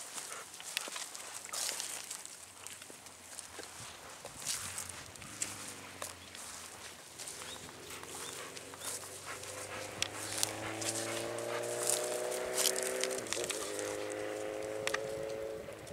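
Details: Golden Retriever out on an evening spring walk through satoyama countryside by white-flowering paddies, panting in quick breathy bursts about twice a second, with footsteps and a steady droning hum that climbs in pitch behind it.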